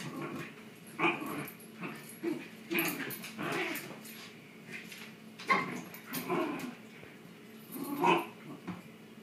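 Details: Shiba Inu dogs locked in a tug of war game indoors, producing repeated growls, grumbles and short yips in irregular bursts about every two to three seconds, with scuffling between.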